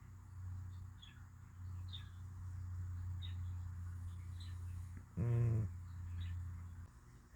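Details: Sleeping cat in deep sleep gives a continuous low, droning snore, interrupted late by one short, harsher snort, while faint chirping birds sound in the distance.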